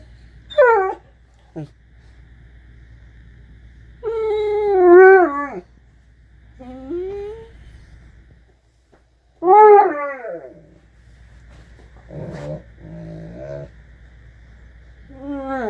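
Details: An 8-month-old blue Great Dane "talking": drawn-out, wavering whines and yowls that rise and fall like speech.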